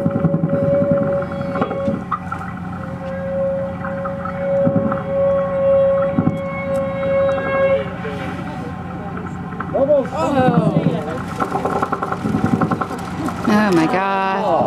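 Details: Humpback whales bubble-net feeding as a group, one whale's call coordinating a simultaneous surface breach; a long steady tonal moan held several seconds, then wavering, sweeping cries, with boat engine hum, music and excited people exclaiming.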